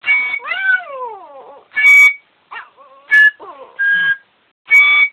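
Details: A "singing" Yorkshire Terrier howls in wavering, sliding notes between bursts of steady, high musical tones, with music playing.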